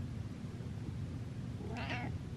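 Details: Cat being chatty late at night gives a single short, slightly rough meow near the end, against a constant low indoor hum.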